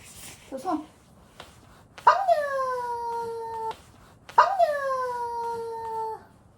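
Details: Indoor pet dog giving two long, steady whining tones, each about a second and a half, sharply started and slowly sagging in pitch, with a brief soft vocal sound before them.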